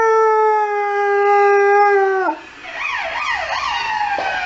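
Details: A Saluki howls at emergency services sirens: a long, steady, tonal howl holding a level pitch for about two seconds, then dropping away as a warbling siren takes over.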